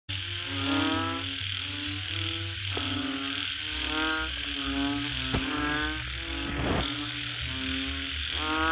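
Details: Frogs during mating give bursts of pulsed, harmonic croaks, each lasting under a second, repeated through the clip. A steady high hiss and a low droning hum run underneath.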